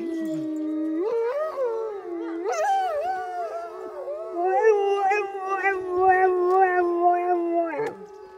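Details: Dog at a zoo in Neuruppin, Brandenburg, Germany, 28 July 2022, trying to answer howling wolves but missing the tone; long wavering howls that slide up and down with rich harmonics, overlapping voices through the clip.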